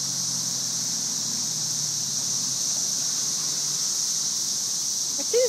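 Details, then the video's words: Masses of cicadas in trees, May 2011 invasion: continuous hissing, sizzling drone like white noise, unchanging across the stretch, ending with a brief higher squeak over low background hum. "Cicada "Music" May 2011"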